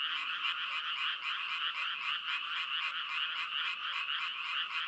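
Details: Frogs croaking continuously, a dense pulsing chorus of many overlapping callers in a band from about one to four kilohertz, with rapid rhythmic beats and no clear pauses; no other sounds stand out.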